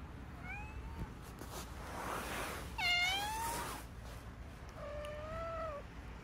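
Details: Domestic cats including a calico mix kitten and a cream Minuet, indoors; several clear rising-then-falling meows, one short early, a louder harmonic-rich one near the middle, and a longer level meow near the end, over a steady low hum.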